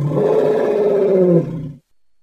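An elephant gives a loud, brassy, sustained call that holds steady and then drops away.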